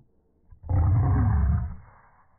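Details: Boston Terriers squabbling over a ball held by their owner, one sudden deep, rasping growl that swells quickly, holds for about a second, then trails off softly indoors.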